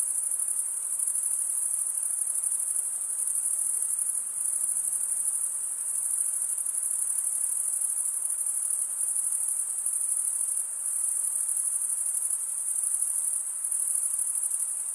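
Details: Crickets, males stridulating by rubbing one wing across the toothed vein of the other, give a dense, unbroken high-pitched shimmer; a continuous trilling band holds steady throughout with slight pulsing and no other clear sounds.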